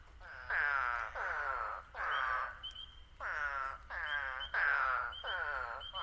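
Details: Eastern spadefoots call in the New Jersey Pinelands with short, nasal "waaah" notes, each slurring slightly downward and repeated in quick succession; spring peepers may also call in the recording.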